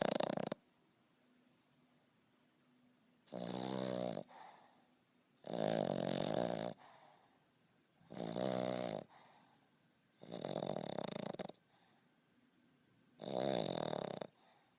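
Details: French Bulldog named Beau, 5.5 months old, snoring heavily like a grown man; rasping broadband snores about a second long recur every two to three seconds, six in all, with quiet pauses between breaths.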